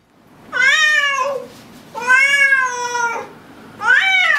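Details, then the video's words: Domestic cat uttering three clear meows about every one and a half seconds, each a sustained harmonic tone that rises slightly and then sags at the end, in a quiet indoor setting. "Funny Cats Meowing ★ Meowing Cats Compilation"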